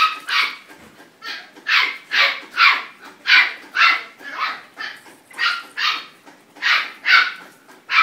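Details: Blue Merle Border Collie at the VietNamAnh kennel, barking in a steady series of sharp, bright barks roughly every half second through the whole stretch, each bark loud and evenly spaced, with no other clear sounds.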